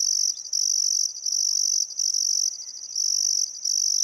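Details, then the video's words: Summer sunset chorus of crickets beside the Barcoo River, Welford National Park, Outback Queensland, Australia: shrill continuous trilling broken by brief gaps every half second or so, with soft bird notes in the background. "Australian Sunset Chirping Crickets"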